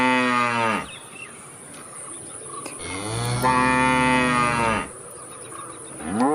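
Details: Cow giving two long moos, the second a drawn-out, slightly rising bellow of about two seconds, with a rising call starting at the end and a constant high-pitched hum behind.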